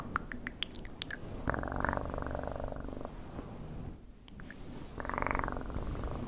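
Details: A cat purrs in two rhythmic bursts of fast buzzy pulses separated by a brief pause, with scattered light clicks at the start.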